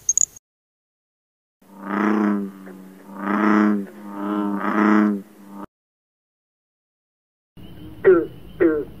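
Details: Frog giving deep, droning, resonant calls, each about a second long and swelling then fading, three in a row, then a pause and two quick falling squeaks.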